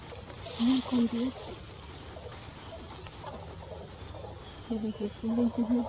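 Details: Mantled howler monkey (Alouatta palliata palliata): Aurelio, an adult male with anomalous pigmentation, copulating with one or more females in a secondary forest fragment at Canopy de Tamarindo, Guanacaste, Costa Rica, 14 November 2021. Two bursts of three low, evenly spaced grunting calls over faint hiss.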